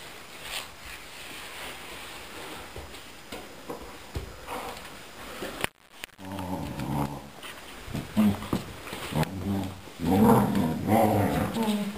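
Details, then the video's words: An Akita plays with a Finnish Lapphund, with low rumbling growls and moaning, talk-like sounds that come mostly from the Lapphund. The Akita copies the growling while play-fighting over a ball. "Akita Inu and friend talking and growling during play"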